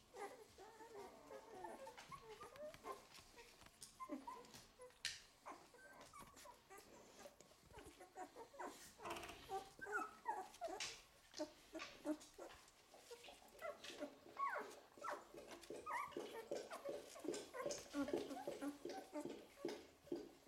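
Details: Golden Retriever puppies in a litter, eleven days old, whimper and squeak in overlapping, high, wavering bursts.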